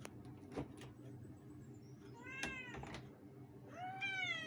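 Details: Two pet cats shouting meow: a short meow midway and a louder, long rising meow at the end, amid knocks, clicks and steady low background hum.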